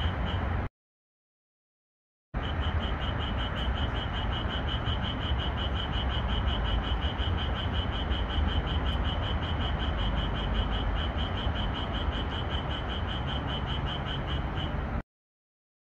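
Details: Japanese tree frogs singing at night in a red pepper field under the moon, edited for more calls. An unbroken train of quick, even croaking pulses runs through the middle, framed by silent cuts at the start and end.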